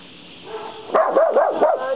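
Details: A fierce little dog barks at a deer at the edge of the woods, chasing it away; after a faint start comes a quick run of four or five rising-and-falling yapping barks.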